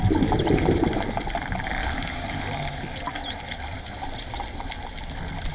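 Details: Underwater at Raggie Cave, dolphins whistle in looping high sweeps, some dipping and rising, others curling, clustered toward the end, with faint clicks and a constant low watery hiss beneath.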